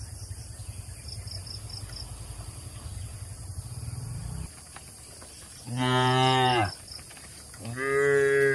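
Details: Tame cattle being herded to a wide field in the countryside. Low engine rumble for the first half, then two long, deep moos with rich harmonics, each lasting about a second.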